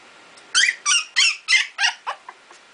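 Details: Icelandic Sheepdog puppies, two weeks old, learning to play and bark: a run of six bright, squeaky yips about every third of a second, trailing into smaller, fainter squeaks against a quiet indoor background.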